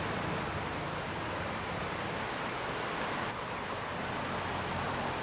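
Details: Hokkaido chipmunk calling from quite far away at Maruyama in Sapporo, Hokkaido, in September 2014; two sharp, very high, downward-sweeping chips about three seconds apart, with faint thin high whistles in between over a soft steady background hiss.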